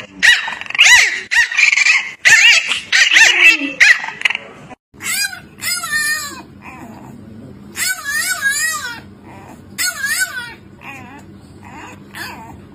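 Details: French Bulldogs with high, sweet voices: first a woman's soft speech-like cooing, then a series of wavering, yodel-like whines and whimpers in short bursts with brief pauses, over low background hum.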